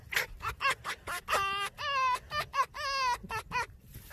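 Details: Red fox giving its laugh-like call: a rapid series of short, harsh yelping bursts, about two per second, mixed with a few longer wavering, harmonic-rich cries that dip and level off, in a quiet setting.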